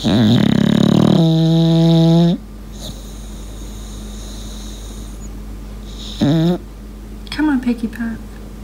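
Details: Sleeping English Bulldog Lincoln whistling through his breath indoors: one long, steady, reedy whistle of about two seconds, then a brief quiet stretch and two short, wavering whistle bursts near the end.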